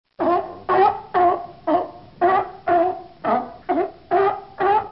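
A sea lion barking, a steady run of hoarse, honking barks about two per second.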